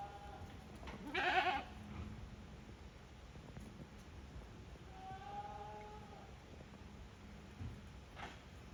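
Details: On a handmade goat farm, goats return to their pens unprompted, 5 December 2023; a strong quavering bleat near the start, then a softer harmonic bleat midway over low rumbling background noise.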